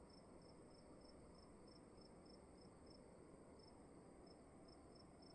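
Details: Indoor cricket song: brief high chirps repeated in a quick regular series, pausing briefly near the end before resuming, over a droning low background hum and a thin steady high tone.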